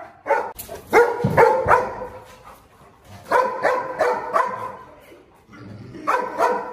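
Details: Presa Canario, a limping pack leader asserting territory against rival dogs: bursts of deep, rough barks in clusters of three or four, separated by short pauses, with a low background rumble.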